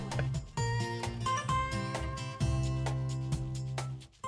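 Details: Strummed acoustic guitar music plays throughout, with steady low chords. No animal sounds can be heard.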